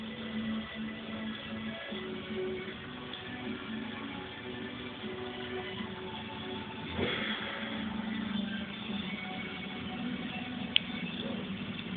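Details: Steady background music with sustained tones and a sharp click near the end, no animal voice present.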